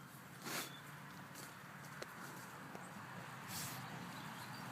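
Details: Pigs from Sweden sneezing twice, each a short hissing blast, about three seconds apart, with a faint click and soft rustling between them.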